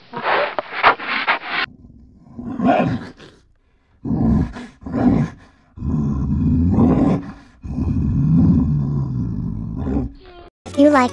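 A polar bear gives deep, rasping growls and drawn-out roars in repeated bursts.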